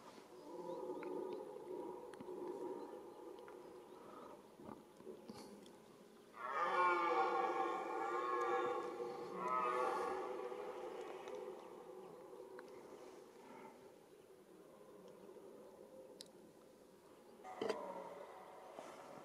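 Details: Red deer stag roaring during the rut, the mating season: two long, loud, harmonic bellows of about three and two seconds, deep and rasping. Quieter rumbling calls sound before and after, and there is a faint background hum.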